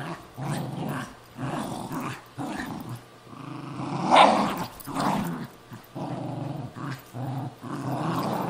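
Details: Pet Cairn Terrier and Jack Russell Terrier fighting over an old golf glove indoors; bursts of harsh growling separated by short silences, one louder snarling peak midway.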